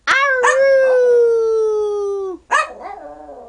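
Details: Twelve-year-old Yorkshire Terrier Nanook, tiny at five pounds, singing on command after barking: two quick yelps launch a long, steady, slowly descending howl of about two seconds, followed by a short wavering yelp.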